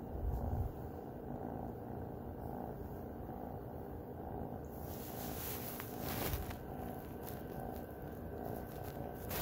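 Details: Snuggling cat Luna purrs in a continuous low, throbbing rumble, with a burst of rustling from about the midpoint and a soft thump near the start.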